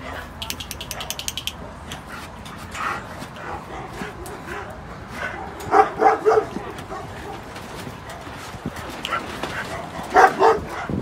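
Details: Samoyeds rescued from a slaughterhouse in Shanghai, now awaiting adoption: a burst of three sharp harmonic barks near the middle and another pair near the end, over steady background murmur, clatter and voices.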